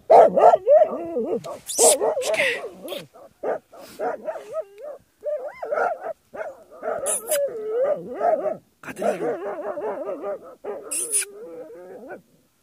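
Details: Jagdterrier confronting badgers on a hunt, giving rapid, wavering, high-pitched yelps and whining bays in long excited runs, broken by sharp scraping and knocking noises.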